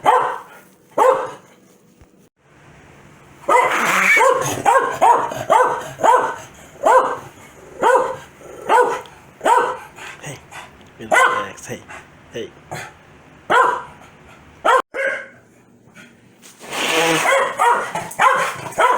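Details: Corgi named Foxy, a pet dog that gets very mad when her owner sneezes, barking in a string of sharp, repeated barks with short pauses, a dense burst of rapid barking near the end.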